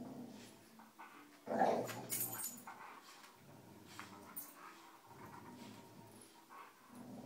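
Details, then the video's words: Pet dogs Cujo, Kali and Lilly tugging on a rope; a loud snarling burst early, then intermittent low growls between pauses, with thuds and scraping of movement. "Dogs playing tug with rope"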